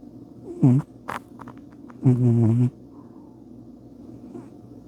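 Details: Sleeping cat Bubba snores in two low, buzzy, droning breaths, a brief one followed by a longer steady rumble, with faint small clicks between them.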